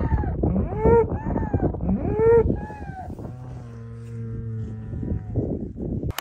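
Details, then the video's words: Cow in a village on countryside dairy farmland: after several short arched, voice-like calls, one long, steady, low moo holds for about two seconds before fading, with a faint rural background. "Real cow moo mooing sound"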